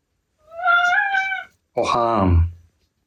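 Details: Indoor Ragdoll cat Milky, reportedly furious with his sneezing, hay-fever-stricken owner, gives a wavering, slightly rising meow lasting about a second, followed after a short pause by a lower, falling, rough-edged sound.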